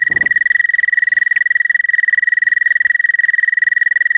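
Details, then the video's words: Close, loud American toad mating trill: a rapid, very even pulsed buzz on one sustained pitch, continuing throughout without pause. "American Toad love song"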